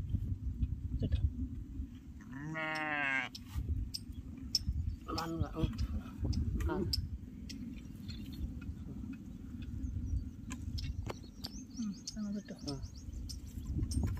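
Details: A lamb with a broken leg bleats while the leg is bandaged on a farm: one loud, wavering, strongly harmonic cry about a second long. Men talk throughout, with rustling and handling noises.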